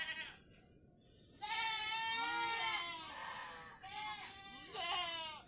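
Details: Domestic goats kept as livestock in the Philippines, tethered outdoors; one long quavering bleat swells then fades, followed by a second shorter wavering bleat near the end, with a thin constant high-pitched hum in the background.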